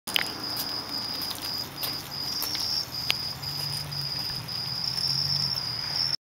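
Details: Many crickets on a wall producing a continuous high, pulsing chirp in steady bursts throughout, with scattered tapping and clicking noises and a low rumble underneath.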